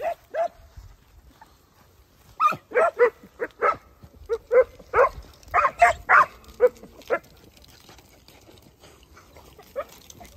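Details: Segugio Italiano father Geko with his 8- and 17-month-old puppies: an irregular chorus of short, sharp barks in clustered bursts over several seconds, tapering to a single bark at the end.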